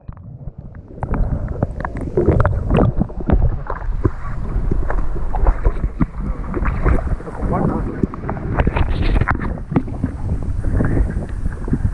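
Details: Boat engine and wind noise on the water with people talking, as Norwegian fishermen and officials work to remove a harness from a beluga whale; no animal voice is heard.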